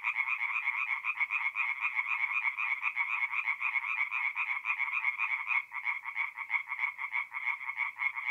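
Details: Tree frogs singing at night at a forest pond in mid-April, North-East Italy: a dense chorus of rapid, rattling croaks pulsing continuously in overlapping bands, many callers together, no other sounds.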